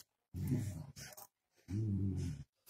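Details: Joschi, a pet dog, grumbling back at its owner over a plate of food, two drawn-out low groaning vocalizations with a short gap between, answered by Dutch speech.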